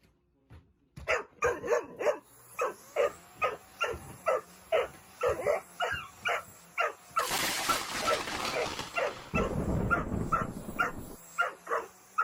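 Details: Large Dobermann dog furiously barking at a running vacuum cleaner: a rapid series of short, harsh barks roughly every half second, partly drowned by a loud rushing hiss from the machine midway.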